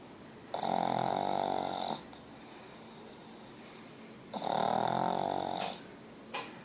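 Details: A pet pug, Ozzy, snores twice, each a harsh, vibrating drone of about one and a half seconds, separated by roughly two and a half seconds of quiet.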